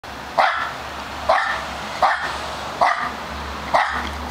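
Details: Charlie, a male Australian Terrier, barking his little heart out: five sharp, bright barks at steady intervals of a little under a second, each short and punchy with quiet gaps between, over a low steady hum.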